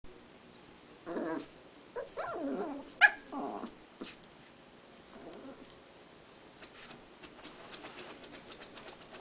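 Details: Puppies fighting give brief raspy growls and snarling yips in short bursts between one and four seconds, then fade into faint scuffling and quiet background noise.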